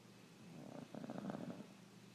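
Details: A beagle snores while sleeping indoors: one rough, rattling snore about a second long, rising and falling in loudness.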